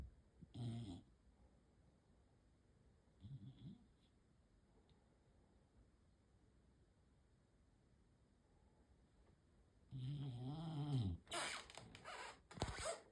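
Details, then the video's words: Rescue bulldog asleep and snoring indoors: low, rough snorts around 1 and 3.5 seconds, then a longer loud rumbling snore with a rising-falling tone near 10–11 seconds, followed by sharper snuffling bursts; quiet room hiss between breaths. "Cutest snoring rescue Bulldog being cute while sleeping"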